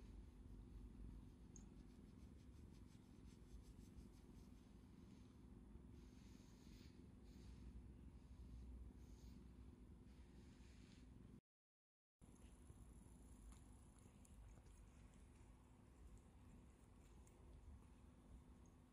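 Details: Cat asking for affection, rubbing its face against a hand and stretching out a paw to show its pads. A soft, steady, low purr hums throughout, with a short silent gap partway through.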